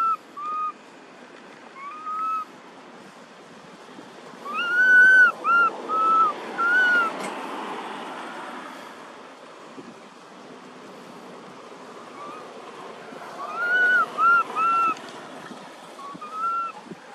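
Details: A baby monkey named Thona, living in an archaeological park, gives clear, arched coos in short bursts, calling for its mother Tara after losing all its friends.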